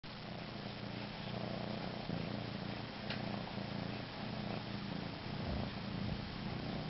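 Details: Domestic cat suckling on its own body, purring steadily: a low, rumbling, continuous drone with a slightly pulsing rhythm throughout, under faint background hiss.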